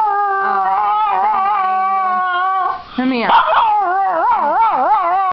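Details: A dog cries in sustained harmonic wails, first steady, then after a short break a wavering, undulating yodel-like cry with pitch rising and falling repeatedly; a person's voice overlaps briefly.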